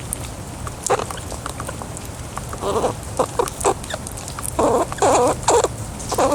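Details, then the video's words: A male wild squirrel, out feeding on pecans in a rain shower, gives short, scratchy squeaks in quick, uneven bursts and a few longer wavering squeals while being poked and petted. "Wild pet squirrel making squeaking noises"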